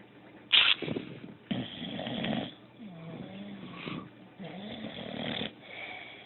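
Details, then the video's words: A female pet dog snoring while asleep, with noisy, breathy snores in bursts of about one second, separated by quieter whistling, wheezy breaths rising and falling between them. "my dog snoring while she sleeps"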